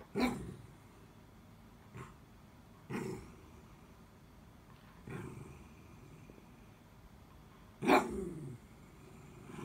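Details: A Miniature Dachshund gives short, scattered whines and yelps that slide downward, calling for help after its toy got stuck under the bed and glancing at its owner.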